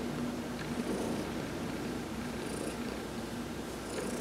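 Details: Massaged while basking in the sun on November 19, 2020, the cat Heidi gives a close, steady low purr, with light airy breath sounds near the start and end.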